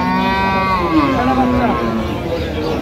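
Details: Cows and calves at Aftabganj cattle market in Dinajpur on 6/9/25: a drawn-out, slightly falling moo, rich in overtones, heard over steady crowd murmur and market noise.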